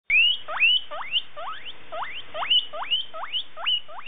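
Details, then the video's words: Young male guinea pig that has caught the scent of a female, calling repeatedly: rising, squeaky wheeks sweeping upward, about two per second, in a steady series with little else heard. "Guinea Pig Male - The ballad "Seeking thr female""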